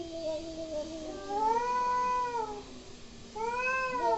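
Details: Angry cats making weird noises indoors: long, drawn-out wavering yowls that rise and then fall in pitch. One sustained cry lasts over a second and is followed by a second cry starting near the end.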